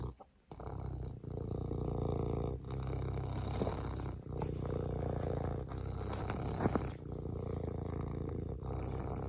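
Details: Serval rumbling in a steady purr, low vibrating drone with rich harmonics, a few soft clicks and rustles over it.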